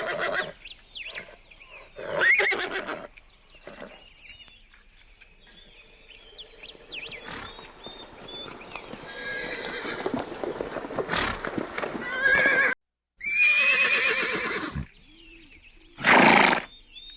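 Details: Horses, described as calm, playful or excited and alert: several separate whinnies and snorting neighs, some loud and trembling, spaced across the clip, with quieter stretches where small birds chirp and twitter in the background.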